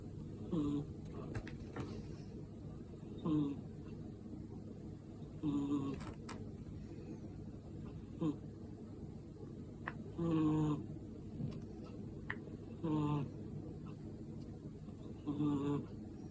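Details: Sleeping kitten snoring indoors: soft, low, slightly harmonic snores come in short bursts roughly every two and a half seconds, seven in all, over a steady low hum with a few faint clicks.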